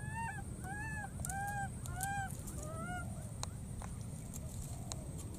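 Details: Wild baby monkey crossing water and calling for its friend: five tonal, harmonic coos, each rising then dropping, come in quick succession during the first three seconds. Afterwards only faint clicks and low rumbling noise remain.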